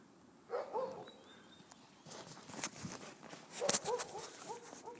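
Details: At Cedar Cove, wolves Lakota, Kiowa and Shadow play in the snow, letting out a couple of quick, high whining yelps amid crunching footsteps and brushing sounds.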